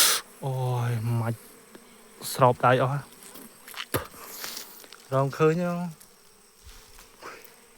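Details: Bees flying around a nest while the queen is sought, heard as three short buzzing passes with sweeping pitch, plus faint handling noises between them.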